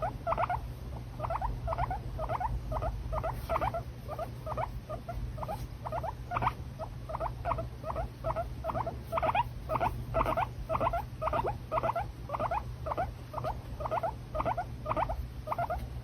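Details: Pet guinea pig making a long steady run of short, clipped squeaks, roughly one each second, over a constant low hum.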